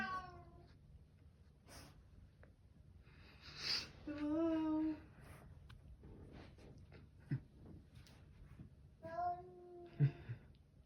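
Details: Bengal cat, described as very vocal, indoors giving drawn-out harmonic meows, a long wavering one in the middle and another near the end, with faint speech and room noise between calls.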